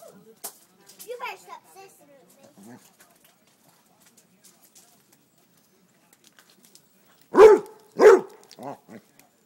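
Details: Basset Hound, a pet dog, barking at chicken thighs fresh off the grill, as if trying to cool them down. Faint voice and rustling early on, then two loud, harmonic barks in quick succession, followed by two softer, shorter yelps.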